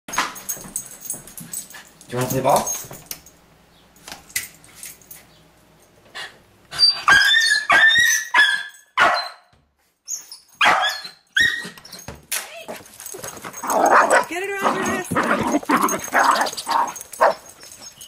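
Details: A Jack Russell Terrier on a leash, playing with a basketball for the first time, gives sharp, high, uneven barks and yaps, with people talking nearby; outdoors near a highway.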